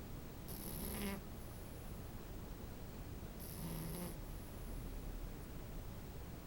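A French Bulldog puppy snores in low, rumbling breaths, with a raspy snort roughly every three seconds.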